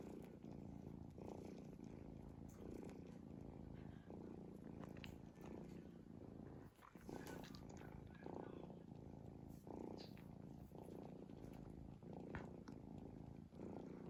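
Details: Sleeping cat snoring in a dense, low vibrating rumble that pulses with its breathing, one short gap near the middle, plus scattered light clicks and rustling.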